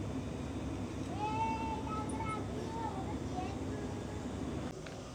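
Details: A cat gives a drawn-out, tonal meow lasting over a second that bends slightly up and then down, followed by a shorter, softer meow, over a steady low rumble of background noise.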